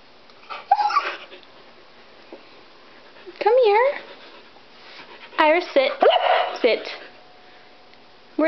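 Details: Iris, a Siberian Husky, vocalizing indoors, upset after being left home while others went to PetSmart; three bursts of wavering, warbling howl-like talk with undulating pitch, separated by pauses, while a person speaks to her.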